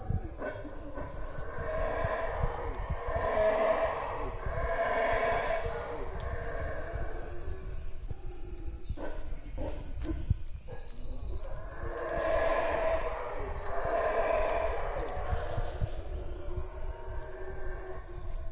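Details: Howler monkeys in the Chaa Creek jungle, Belize, give deep, breathy roaring howls in two long swelling bouts over a steady insect hum.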